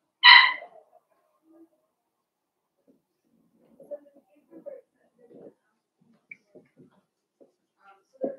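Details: Blenheim Cavalier King Charles Spaniel puppy from a litter of five born at New Year to Paris and Spike, kept in a home puppy pen on pick-up day; one sharp, high yip opens, followed by faint soft shuffles and small scattered sounds.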